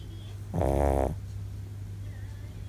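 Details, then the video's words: A Shih Tzu, tired after an outing, gives one loud, rasping snore lasting about half a second over a steady low hum. "【シーズー】お出かけで疲れていびきがすごい【shih tzu】【snoring loudly】"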